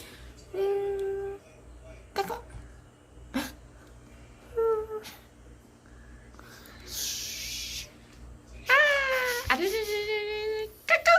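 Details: Repeated mewing in a home from one of two 3-month-old female kittens, Anggo, a British Shorthair, and Chacha, a Norwegian Forest cat. Short, tonal meows recur, the last ones louder and longer, with clicks and a brief hiss of noise between them.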